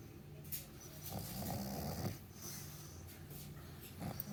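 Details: Morning sleep for Meatloaf, a pet dog, with a long rasping snore swelling through the middle and quieter breathy snores before and after.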